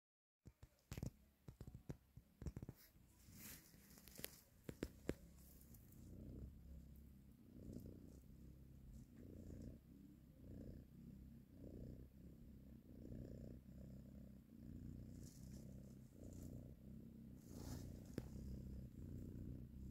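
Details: Mother cat purring while nursing and caressing her kittens: a steady, low, rumbling purr that pulses continuously, preceded by a few sharp clicks and rustles at the start.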